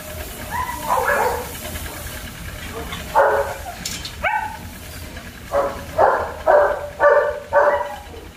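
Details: German Shepherd pups at a kennel: short, harmonic, yelping barks. A few irregular ones come early, then four evenly spaced barks about half a second apart near the end, over a low steady background rumble.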